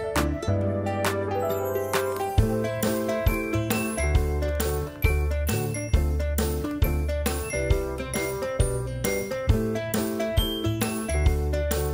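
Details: Bright, steady instrumental music with tinkling chime and bell notes over a repeating low bass pattern, with no animal voice heard.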